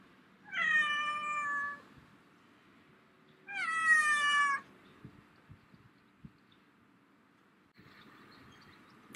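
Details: A black-and-white domestic cat, excited to be riding in a bicycle basket again after a long time, meows loudly: two drawn-out, harmonic-rich meows about three seconds apart, with a faint rustle afterwards.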